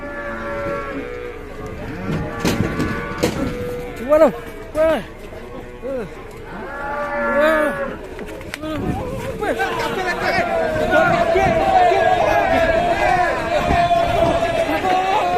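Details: Angry, raging cattle in a collection of farm scenes from Indonesia. Deep, harmonic moos and bellows overlap, some short and some drawn out. A long, steady, strained bellow dominates the second half over shuffling and background noise.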